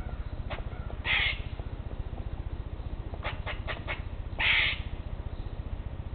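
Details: Eastern grey squirrel screeching in a territorial dispute among several squirrels climbing separate trees near a porch; two harsh, scratchy calls about three seconds apart, with faint clicks between them over a constant low droning background.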